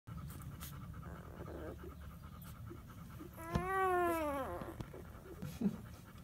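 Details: A two-day-old Weimaraner puppy, one of a new litter, gives a single thin, high whine that arches up and then drops away.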